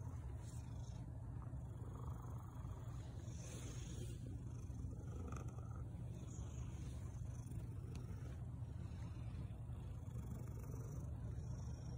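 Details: Steady low engine-like rumble fills the recording, with no animal voice standing out.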